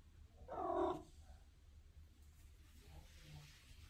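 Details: A Maine Coon cat in a bathroom gives a single short, rising-then-falling meow, followed by quiet room hum.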